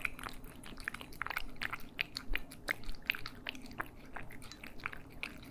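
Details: Eating cats in stereo ASMR: bursts of crunching bites mixed with short squeaky, wet chewing noises, uneven in loudness, with a brief louder crunch near the two-second mark.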